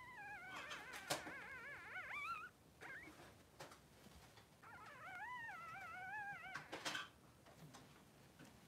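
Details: Two Blenheim Cavalier King Charles Spaniel boys, 3 days old, in their newborn pen with mother Pom-Pom; a puppy cries in long quavering, warbling whines, two drawn-out bouts split by brief squeaks and light bumps.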